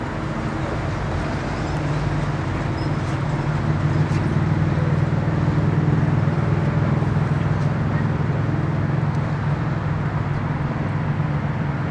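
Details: Steady low traffic rumble at Haulover Beach's Bark Park in Miami, with no barking audible.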